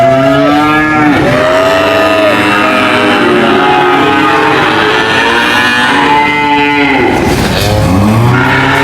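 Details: Cattle moo repeatedly, the calls arching in pitch and overlapping, with a deep bellow closing the sequence amid a continuous, thick background of lowing.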